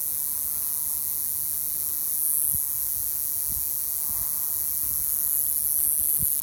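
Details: A male cicada on a bark-shedding Pacific Madrone in June, Ruch, Oregon, sings a steady, high hissing buzz to attract females, swelling briefly twice.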